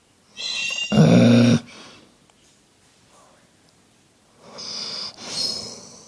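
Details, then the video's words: A Dobermann snores on 20 October 2011 in two rough, rattling breaths, the first loud and deep, the second softer with a faint whistling edge, separated by quiet; a Senegal parrot sings nearby. "Snoring Dobermann"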